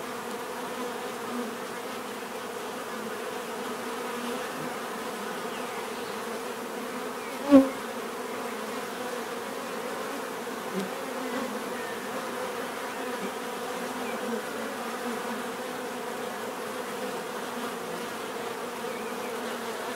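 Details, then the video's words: Bees in a natural setting, a steady layered drone of many overlapping wingbeat hums filling the whole stretch, with one sharp brief click near the middle and otherwise an even, unbroken buzz. "bees therapy relaxing natural buzzing sound"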